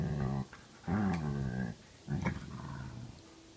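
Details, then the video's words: Grumpy Belgian Malinois mix with a playful Karelian Bear Dog mix; three low, harmonic growling grumbles, each under a second long, with brief quiet gaps between them. "Grumpy Belgian Malinois Mix and Playful Karelian Bear Dog Mix"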